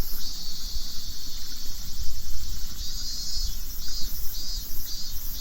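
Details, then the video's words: Cicadas in Japan, a sound of the summer season, give a shrill, high buzzing drone that swells and pulses in waves. Japanese listeners render it as MIIIIINMINMINMIN. A steady low rumble of wind or handling noise runs underneath. "Cicadas singing sound like this to Japanese."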